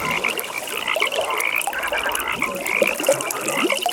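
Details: A dense night-time frog pond chorus of overlapping croaks and rapid pulsed trills, with a steady high pulsing note throughout.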